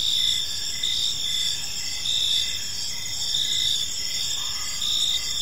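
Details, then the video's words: Crickets in a serene park at evening, several high-pitched insects trilling together, with short chirps beating in a quick even rhythm over faint low rumble. "Cricket Sounds in a Peaceful Park"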